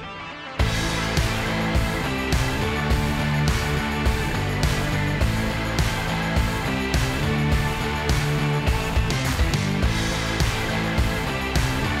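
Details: Loud rock music with driving guitar and a steady beat plays throughout, and no animal sound is heard.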